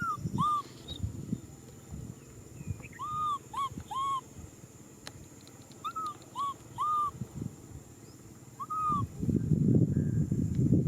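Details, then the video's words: Infant macaque calling out for a hug with a run of arched, plaintive cries, mostly in twos and threes. Thumping and rustling sounds grow loud toward the end. "Monkey baby Nui Simon cries out for a hug"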